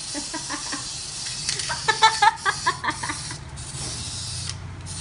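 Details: Shih Tzu puppy letting out a quick burst of about eight short, high, squeaky yips clustered in the middle seconds, against a steady background hiss.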